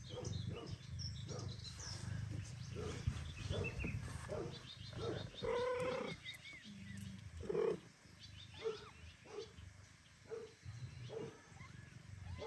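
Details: Male house cat back home after a long absence, calling to his mate Kira as if asking forgiveness; a series of short mewing calls, one longer drawn-out meow midway, over a steady low hum.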